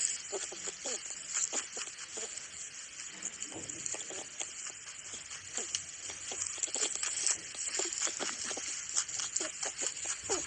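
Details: A rabbit gently grinds its teeth, making quick, soft clicking and crunching ticks: a happy, contented sound over a favourite food that shows it is not in pain.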